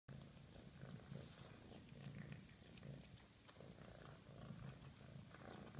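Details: A very hungry female cat purrs steadily while eating, a low rumbling purr pulsing in regular waves through the whole stretch, with faint wet chewing clicks scattered above it.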